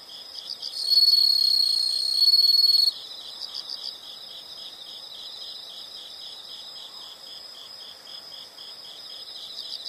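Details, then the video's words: Insects calling in a nature recording: a steady, fast pulsed chirping runs throughout, with one louder, sustained high trill bursting in for about two seconds near the start before fading back to the background pulse. "the sound of insects"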